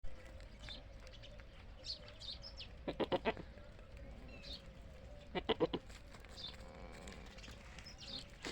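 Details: A Desi goat on a goat farm gives two short, quavering bleats, each a quick stutter of pulses, a couple of seconds apart.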